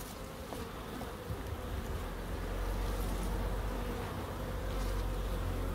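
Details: Bees buzzing in a small wildlife garden in Crookes with bird boxes and a pond: a steady, low droning hum that swells slightly louder midway and holds without break.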